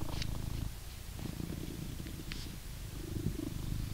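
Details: An adult blue British Shorthair cat in England purrs steadily while being brushed, a deep continuous rumble with soft brushing strokes.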